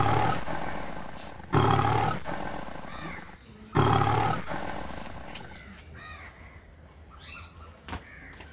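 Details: A lion in a zoo gives deep, rasping roars in two loud bursts, with fainter crow-like caws between.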